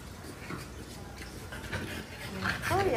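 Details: Pet French Bulldogs eating watermelon, with the seeds taken out first, one giving a brief high whimpering whine near the end, wavering up and down, beneath a woman's steady talk in Tagalog and English.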